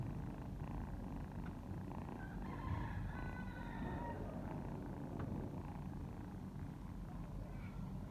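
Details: Purring domestic cat nursing kittens, a constant low rumble under soft, short high mewing notes from the kittens in the first half, then the purr continues steadily alone.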